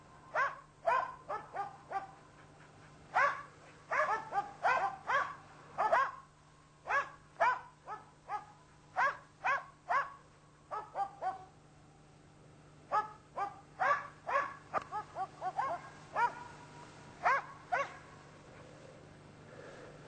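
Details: Karelian Bear Dog hunting European brown bear, barking continuously for twenty seconds: rapid, sharp, yelping barks in uneven runs with brief pauses, over a constant low background hum.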